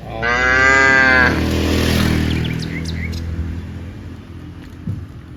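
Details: Cows walking from the rice fields to the village; one loud harmonic moo lasting about a second, followed by a broad rumbling noise that fades, faint bird chirps later.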